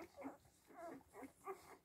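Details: Seven-day-old Siberian Husky puppies giving a few short, thin squeaks and whines, each rising then falling, about three in under two seconds, with soft background noise.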